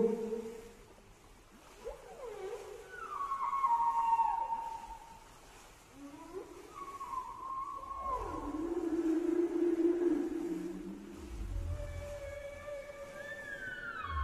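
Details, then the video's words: Whale vocalizations: a varied series of quieter moans, upward and downward swoops and short whistled sweeps at differing pitches, some overlapping, with low rumbles and gurgling near the end. "صوت الحوت"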